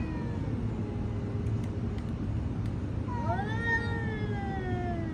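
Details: Cat meowing in a steady low hum: one drawn-out harmonic meow rises, then slowly falls and fades over about two seconds, after a quiet start.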